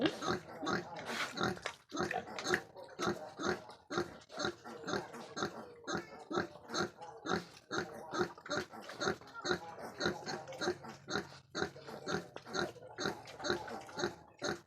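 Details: Crossbred wild boar grunting steadily: a long run of short, harsh, broadband grunts, roughly two per second and fairly irregular, with some soft speech mixed in early.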